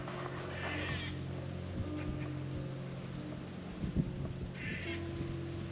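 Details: Squirrel giving an alarm call in a Connecticut park on an afternoon, alerting because a photographer was present: two short, rapid, raspy pulsed bursts about four seconds apart over a steady low hum.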